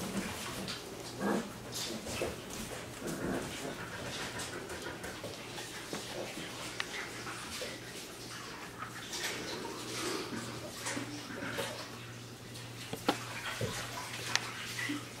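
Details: Wirehaired Pointing Griffon puppies, six weeks old, from a 2019 kennel litter of eight, romping inside the house: faint whimpers and soft panting beneath steady rustling, scuffling paws and knocks.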